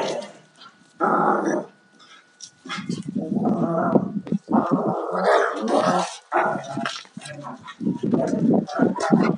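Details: Two Alaskan Malamutes, a 2-year-old male and a 4.5-year-old female, rough playing; a rapid run of rough growls and snarls in loud bursts, broken by short pauses.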